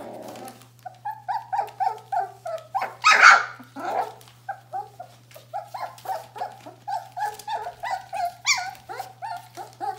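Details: A Bohemian Shepherd puppy from the "F" litter, just short of four weeks old, whimpers again and again: clear, high, slightly bending yelps about twice a second, one louder squeal near the middle, over a faint hum.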